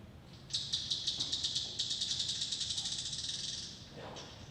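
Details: A bat's echolocation calls, shifted to a lower frequency so they can be heard, tick faster and faster as it closes on a moth, ending in the terminal buzz that means it is catching prey.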